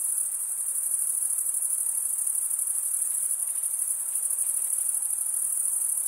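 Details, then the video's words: High shrill cricket chirping made by wing stridulation, a fast even pulse sustained without pause, layered over a soft diffuse hiss lower down. "Most relaxing cricket sound"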